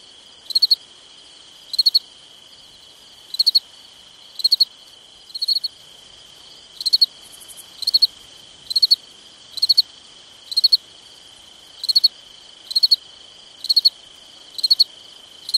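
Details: Summer night cricket chorus: high, pulsed chirps in clusters of three to four beats repeating roughly once per second, backed by a continuous thin ringing drone.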